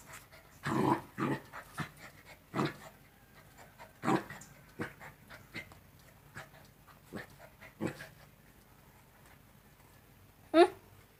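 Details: Two-month-old Rottweiler puppies at play: short bursts of low growling and scuffling sounds every second or two, with a sharp high yelp near the end.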